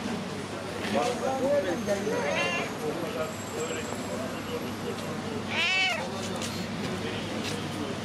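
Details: Street cat greeting and seeking attention; two warbling meows, the second louder and longer, sliding up then down, with people talking throughout and urban background noise.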